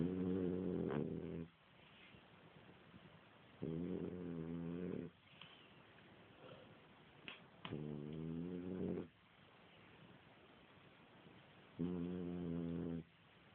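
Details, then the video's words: Sleeping French Bulldog snoring indoors while someone tries to wake it; four loud, buzzy rattling snores of about one and a half seconds each, coming every three to four seconds, separated by soft breathing. "french bulldog snoring"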